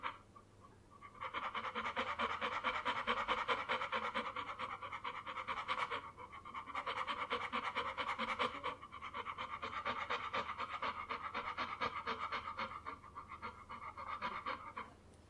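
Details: Dog panting in rapid breathy bursts of about 136 per minute. The runs are broken by short pauses near the start and twice in the middle.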